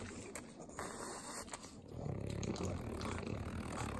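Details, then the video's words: Three pug dogs in Southern California eating butter; low rumbling snorts and snuffles, quieter at first and then a dense, steady run of rapid grunting breaths through the second half. "ASMR Pugs Eating Butter - Calming Sounds of Sloppy Licking, Snorting"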